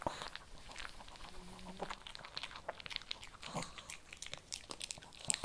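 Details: Close-up crunching of kibble by a Shih Tzu, with crisp, uneven bites and small crackles, recorded indoors.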